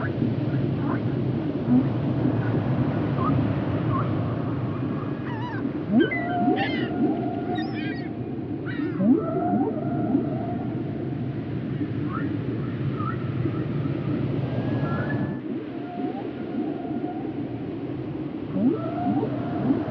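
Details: Whale vocalizing in a varied sequence of swooping upsweeps, buzzy pulsed bursts and long steady whistled tones, irregularly spaced, over a continuous low rumbling background.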